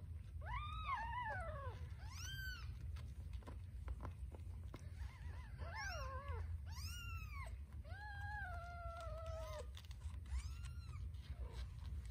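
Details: Scottish Fold kittens nursing and fighting over a nipple, a tortie kitten standing her ground; several loud, arched mews with harmonics, some long and sliding down, coming in quick succession over a constant low hum.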